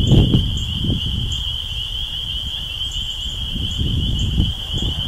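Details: Spring peepers, tree frogs coming out of the swamp in early spring at East Dennis, Cape Cod, Massachusetts, April 2015: a dense chorus merging into one steady high shrill band, over low rumbling wind and ground noise.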